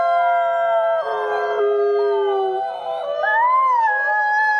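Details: Gray wolves held at a conservation center in South Salem, New York, howl in chorus; several steady tones overlap, one voice drops lower mid-way, another swoops up and falls in a smooth arc.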